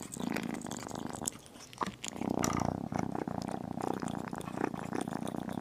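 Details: Tiny kitten eating chicken and rumbling continuously. The low vibrating purr briefly dips near the two-second mark, then swells louder again, mixed with snapping bites and soft chewing.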